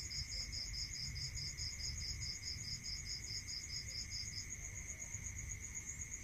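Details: Crickets at night in the countryside, one sending a long run of quick, evenly spaced high chirps for about four seconds before stopping, while a steady shrill trill and a lower sustained tone continue beneath, with faint low rumble.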